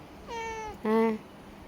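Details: Cat meowing twice in quick succession: a first flat, slightly falling mew, then a shorter, lower and louder one, in a quiet indoor setting.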